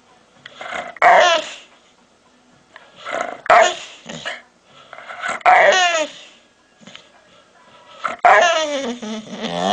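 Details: Aggressive pit bull producing rough growl-barks in bursts roughly every two seconds, some ending in a drawn-out whining tail, with gaps of near silence between.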